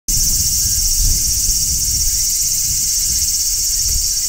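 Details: Large brown cicada singing on a tree in midsummer, a steady, dense shrill hiss that starts abruptly and holds without pause, with soft low rumbling underneath.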